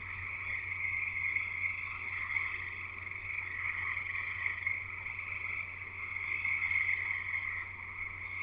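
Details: Frogs in full chorus outside a house in Escanaba, Michigan, in the Upper Peninsula: a steady, overlapping sheet of high-pitched peeps and trills, gently rising and falling in loudness, over a constant low electrical-sounding hum.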